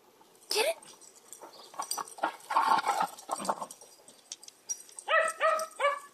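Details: A Corgi herding a basketball, as she has no sheep, gives a few sharp, high, whiny yips in quick succession while a person excitedly urges her to get the ball.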